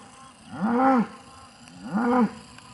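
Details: Male Aubrac cattle on a farm near Laguiole, La Montagnette, giving two short, arched, moaning bellows roughly 1.3 seconds apart over a faint hiss of background noise.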